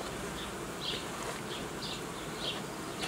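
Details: Continuous hum of honey bees at an apiary, with beekeeping work uniting colonies and raising young queens from queen cells; an even, broad buzz marked by short higher-pitched swishes recurring about every half second.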